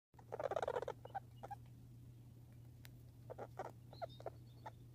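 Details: A backyard squirrel, grey or red, gives a fast burst of harsh chattering, then scattered sharp chucks over a low steady hum.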